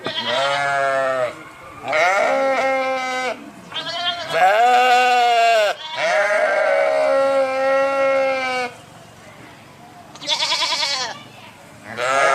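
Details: A run of sheep bleats, many long and quavering, some back to back, with dips and rises in pitch and a short pause before the final calls.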